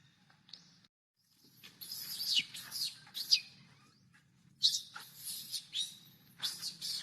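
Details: A young monkey crying for milk: shrill, squealing cries in uneven bursts, some sliding downward, separated by short pauses, over a faint low hum.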